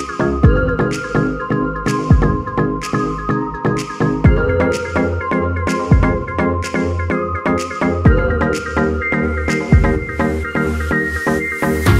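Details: Electronic music with a steady synthesizer melody, pulsing bass and regular beats throughout, with no animal sounds.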